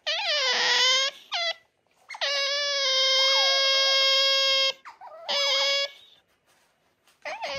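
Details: Pet otters Ui and Aty at home in the early morning, Ui pressing Aty with affection: loud, sustained, harmonic squeals in long drawn-out bursts, some wavering and rising at the start, repeated four times with short pauses.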